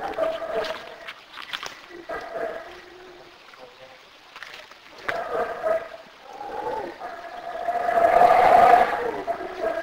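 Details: A black howler monkey in Belize gives hoarse, droning howls that swell into a loud, rough roar near the end.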